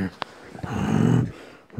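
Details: Toy terrier indoors, playing at fighting with its toys: a brief sharp click, then a low, rumbling, pulsed growl lasting about half a second before stopping abruptly, in a small quiet room.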